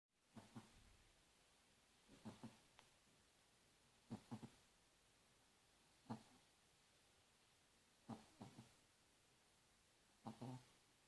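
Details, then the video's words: Sleeping dog snoring indoors: soft breathy snores in paired or triple bursts, recurring roughly every two seconds, with quiet pauses between. "Snoring Dog when sleeping"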